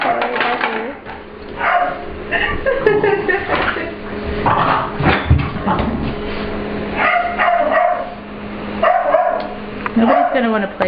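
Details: Ester, an English Bulldog/Pit Bull puppy, plays with another dog, Layla, in a grooming room at work, claiming the room as hers. Short rough barks and growly bursts come in clusters, mixed with a woman's talking voice.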